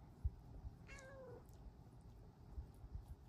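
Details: Female Bengal cat perched on a lap, asking to cuddle, gives a single clear meow that starts high and slides downward over about half a second; quiet room with soft handling thumps.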